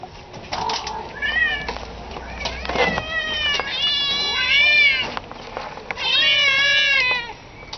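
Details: Domestic cat meowing repeatedly: a run of harmonic, rising-then-falling meows, some short and some drawn out, with two long, loud meows near the end, over a quiet background.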